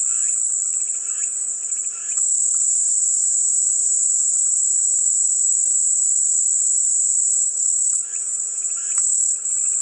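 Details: A dense, high cicada buzz holds steady throughout. Lower chirping bursts appear at the start and again near the end.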